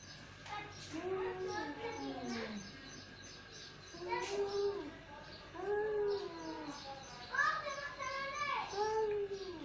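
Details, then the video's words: Two male cats trade drawn-out, wavering yowls that rise and then sag in pitch, several long moans spread across the stretch over a steady background hiss. "Two Male Cat | Cat Voice"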